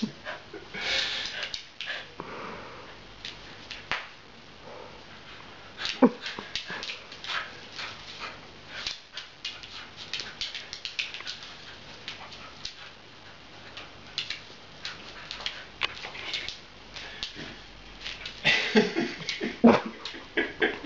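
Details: Playful female Beagle puppy named Tessa, prone to mounting during games; rapid irregular breathy pants and snorts mixed with rustling and bumping, with brief louder bursts near the start and end.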